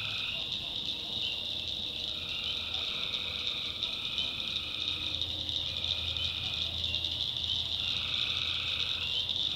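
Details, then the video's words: Night chorus of tree frogs in a swampy North Carolina backwood: unbroken high shrill drone with longer, lower pulsed trills breaking in several times, plus a faint low rumble. "Relaxing Swamp Sounds at Night - Frog Heaven - Frogs"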